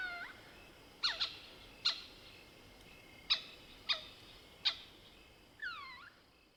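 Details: Night calling of a lesser bushbaby, Galago moholi, in South Africa's Soutpansberg: a string of sharp clucking chatter notes at uneven intervals, ending in one curved, dipping mewing squeak.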